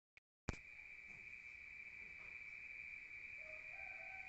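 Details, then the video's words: Crickets at night in a rural setting, heard from inside a room: after half a second of silence, a steady, unbroken high-pitched trill begins and holds for the rest of the clip, with faint low background hiss. "Rural Nature Sound of crickets at night"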